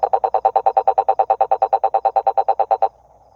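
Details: Rapid, evenly spaced croaking pulses from a toad, about nine per second, in a steady three-second train that stops abruptly, leaving a faint trilling in the background.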